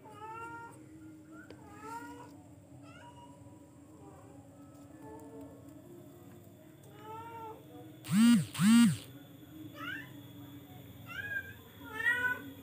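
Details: Charcoal F1 cat mewing again and again in short, clear, slightly rising notes; two very loud, strongly curved cries break in midway, with a low hum underneath throughout.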